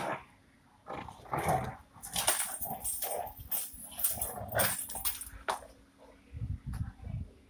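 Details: Rottweiler puppy in aggressive play with its owner over a shoe, giving a run of rough, snarling growls and sharp bark-like bursts, then quieter low rumbles near the close.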